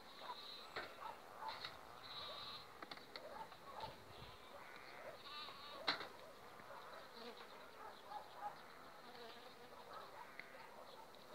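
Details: Honey bee colony humming two weeks before acacia bloom, an overwintered swarm developing on five frames; steady insect buzz with bright bands, broken by brief clicks and knocks throughout.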